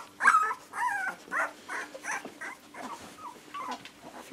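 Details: Puppies in their second week give thin, wavering whimpers, a string of short rising-and-falling whines with brief gaps between them, over a faint steady hum.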